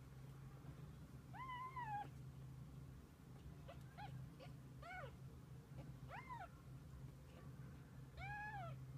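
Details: Kittens with their mother cat spending the day together; several high, thin meows with arched, harmonic-rich contours, rising then falling, come in short bursts about every second or two over a steady low hum.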